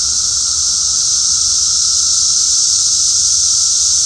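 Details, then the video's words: Cicadas keep up an intense, uniform high-pitched whirring hiss, unbroken and level from beginning to end, with no other clear sounds. "cicada sounds"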